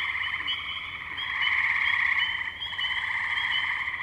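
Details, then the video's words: Wetland tree frog chorus at Firestone Park in Columbiana, Ohio, May 6, 2023, Zoom H2n recording; many frogs trill together in rapid overlapping pulses, forming an unbroken buzzing texture that grows louder midway. "Tree Frogs"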